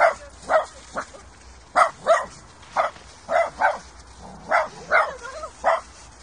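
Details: Dog barking during a meeting between Mini, a 5-month-old Kooikerhondje puppy, and Popo, a large calm Tibetan Mastiff, at a puppy school lesson: short sharp yips in irregular bursts of one to three, about a dozen over six seconds.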